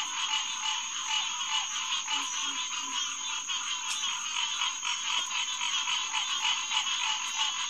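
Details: Hyla cinerea calling en masse at the Headquarters Pond, SMNWR, on a June night in 2021 between 9 and 10 pm: a dense, buzzing chorus of quick repeated notes with occasional sharp clicks standing out.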